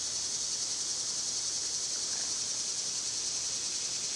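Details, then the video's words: Cicadas in summer, loud at this time of year, make a steady, high, hissing drone that holds even throughout with no breaks, filling the air like constant static. "Cicada sounds"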